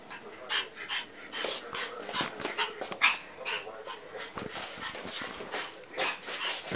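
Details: Yorkshire terrier puppy, born with short vocal cords that were not cut, barking unusually like a parrot: short, raspy, high-pitched yelping bursts repeated irregularly about twice per second, with faint background noise.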